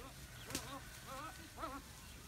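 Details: Goats on a farm herd with Nubian bucks after grazing: three short quavering bleats, the last brightest, spaced roughly half a second apart amid faint background murmur.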